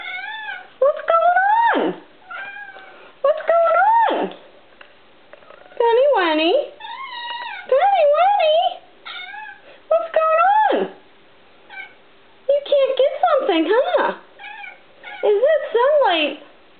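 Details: Indoor pet cat, agitated by a tiny bug on the wall, gives a long run of chirping, trilling meows with wavering, rising-and-falling pitch in bursts about every second or two, while a woman talks to her between calls.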